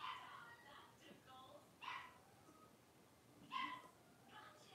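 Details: Playing blenheim Cavalier King Charles Spaniel puppies, five littermates born at New Year, in an indoor pen. Squeaky little barks and yelps come irregularly, a loud one near the start, middle and end, with soft room noise between.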